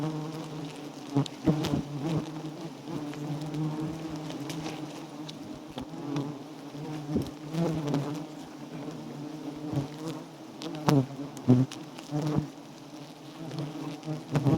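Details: A swarm of wild giant honey bees around a small nest being harvested for its honey. A steady deep hum of many wings continues throughout, with scattered knocks and crackling handling sounds.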